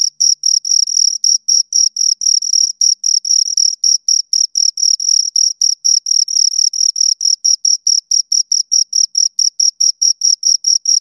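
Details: Pair of crickets stridulating near the microphone: rapid, regular high chirps repeating roughly four times a second, slightly out of step with each other, no other sounds.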